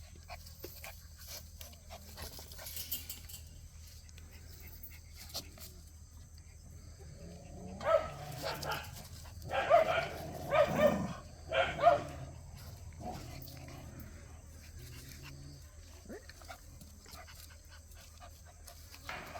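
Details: Jindo puppies playing: several seconds of near quiet, then a tight cluster of five or six sharp yelping barks midway, before the low background hum returns.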